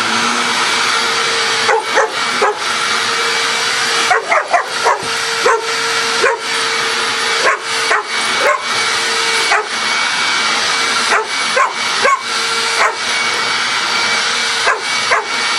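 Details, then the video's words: Pet dog Coco barks repeatedly at a vacuum cleaner, which drives her crazy. Short, punchy barks come in clusters of two to four with brief gaps, all against the continuous whine and hiss of the running vacuum. "Coco Barking at Vacuum Cleaner"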